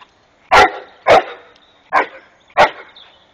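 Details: Rhodesian Ridgeback named Jasper barking while playing with a neighbour's peacock: four loud, sharp barks spaced about half a second apart, clean and close with little background.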